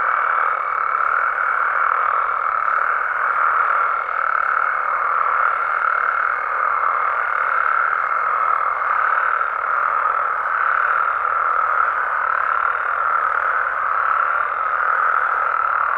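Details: Many frogs and toads calling at night in Mexican wetland habitat; the overlapping croaks blend into a continuous buzzing roar, with a steady thin higher tone running underneath and soft distant ticks.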